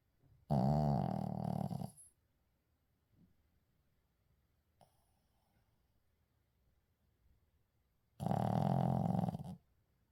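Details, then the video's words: Uijung, a pet Shih Tzu, snoring in sleep with no edits: two rasping, low snores of about one and a half seconds each, separated by roughly six seconds of quiet breathing and small rustles. "시츄 코골이"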